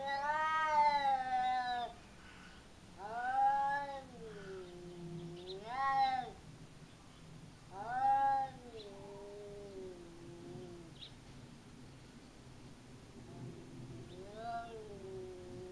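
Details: Garden cat fight in Japan between a household cat and a slightly smaller opponent; a series of drawn-out moaning yowls, each bending up and down, repeated every two to three seconds, fading into softer, lower wails.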